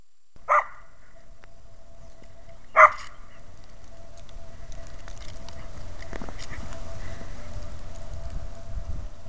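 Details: Oreo, a dog chasing a squirrel and leaping up a tree after it, gives two sharp, short barks about two seconds apart, followed by a steady low rumbling background.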